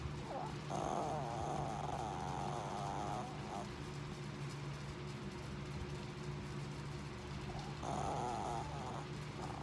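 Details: Zoey, a tiny sleeping dog, snoring loudly: a long harsh rasping inhale from about one to three and a half seconds, a quieter stretch, then another rasping snore near eight seconds, over a steady low hum.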